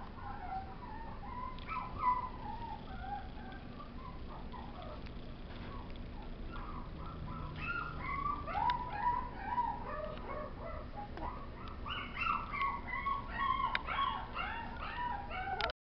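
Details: Chihuahua howling: a long run of wavering, tonal howls and short yips that rise and fall, growing busier and higher toward the end, over a steady low background hiss.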